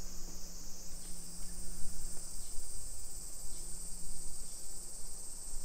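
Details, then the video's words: Continuous high-pitched cicada drone in suburban Nisshin, Aichi Prefecture, Japan, on a summer afternoon, 28 July 2021 at 1 PM, recorded while walking; faint pulsing low tones and thuds of footsteps underneath. "Summer Cicadas Sounds"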